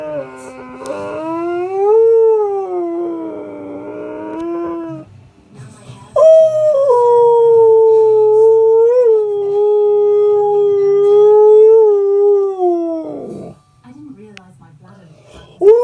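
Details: Siberian Husky in a morning discussion, two long drawn-out howls separated by a brief pause, the second one higher and steadier before dropping off; soft whines follow at the end.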